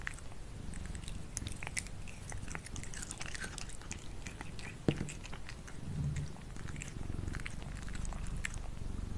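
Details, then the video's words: Cats eating food indoors at lunch: dense, crisp crunching and clicking chews, irregular and continuous, with a soft low hum beneath and one sharper knock midway. "CATS EATING FOOD"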